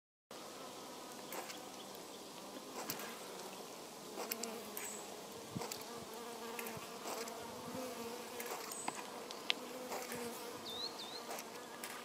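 Honey bees hum steadily, a low droning buzz with bands of overtones and brief clicks and bumps.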